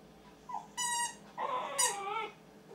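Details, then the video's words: A Siberian Husky, practising its singing as a daytime serenade, gives a short, high, wavering howl that bends upward and then slides down. "Mr. Siberian Husky Nanuk singing - früh übt sich was heulen will"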